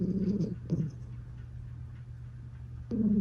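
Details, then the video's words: Domestic cat purring while snoring: low rumbling bursts near the start and again at the end, separated by a quieter stretch of steady low hum and soft breathing. "Purr Snoring?!"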